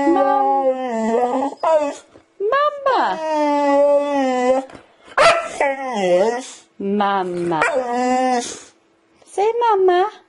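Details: Domestic dog 'talking', loud howl-like vocal phrases that rise, bend and fall like speech, several drawn-out warbles broken by short pauses, with a person speaking alongside.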